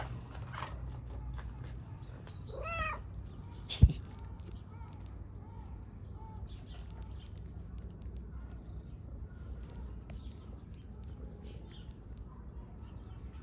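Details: Homeless mother cat and kitten, strays on the streets of Istanbul, seeking affection more than food: one sharp wavering meow early on, then a few soft short mews over steady low street rumble and a sudden knock.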